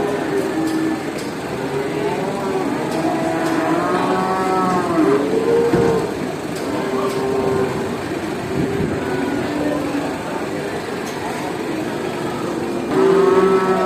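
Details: Cows at a traditional animal market low in a crowded chorus, several long moos overlapping, some rising and falling in pitch, a strong swelling call near the end, with constant background bustle and faint clicks.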